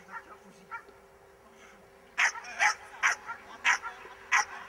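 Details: Miniature English bull terrier in a defence class barking loudly, five harsh, sharp barks spaced roughly half a second apart after a quieter opening with soft sounds.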